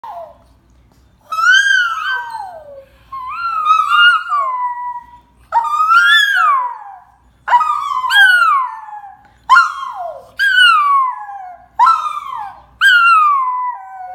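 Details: Four-month-old Shih Tzu puppy indoors copying its owner, giving a run of about eight drawn-out, wavering howls that each bend downward in pitch, separated by short pauses, with no other sounds.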